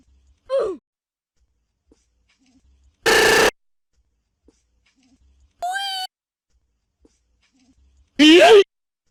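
A fox gives a series of short yelps and harsh, raspy screams, each separated by a few seconds.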